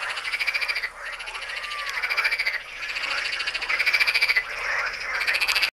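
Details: Frogs calling at the Tyre Necropolis in Lebanon: a dense, continuous chorus of rapid, rattling croaks from many overlapping callers, swelling and dipping in loudness without pause across the whole stretch.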